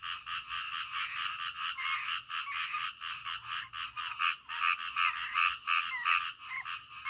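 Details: Frogs croaking in the middle of the night, a dense chorus of short nasal croaks repeating rapidly and unevenly, several callers overlapping, with a faint high whine in the background.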